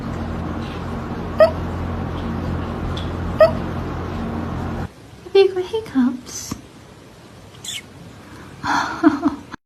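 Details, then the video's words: Cat with hiccups indoors: two sharp, brief hiccup clicks about two seconds apart over steady background hum, followed by a woman's soft, high-pitched speech asking if it has the hiccups. "Funny Cat Hiccups"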